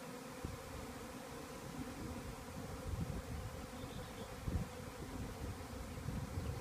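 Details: A honey bee swarm that has just left a beekeeper's hive and is moving to land on a nearby small tree makes a dense, steady drone of many bees buzzing together.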